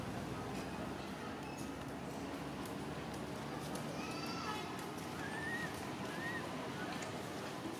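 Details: Baby monkey Jinx, one of the Temple Monkeys of Cambodia, stuck up a tree and crying for its mother's help: a few thin rising-then-falling whistled cries late on, over steady outdoor rumble and noise.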